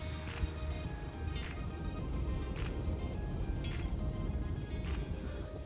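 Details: Soft music over a low rumble, with faint rhythmic tapping and no animal call.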